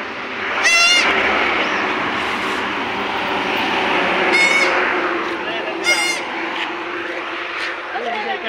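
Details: Three quavering, high bleats from a newborn goat kid, one of two born together, spaced a few seconds apart amid loud crowd noise and voices.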